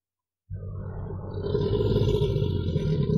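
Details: American alligator in a river, a deep, rough, rumbling bellow beginning after half a second of silence and swelling louder over about three seconds, with most energy low and a steady droning roar.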